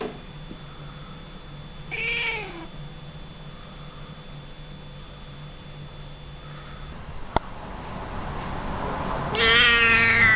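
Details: Rescued cat in November 2013, just after worming treatment, gives a short falling meow. Near the end comes a louder, rougher meow, with quiet room noise between the two calls.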